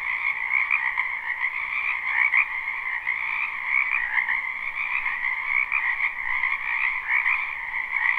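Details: Frogs fill a spring wetland behind a house with a relentless chorus, recorded live and unlooped: shimmering, densely overlapping trills in two constant bands, with faint surges and no other noises.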